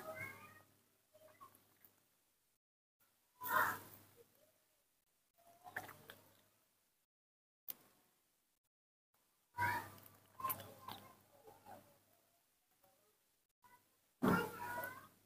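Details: A baby monkey gives short, squeaky, whimpering calls in scattered bursts one morning, crying out on seeing its milk and wanting to drink.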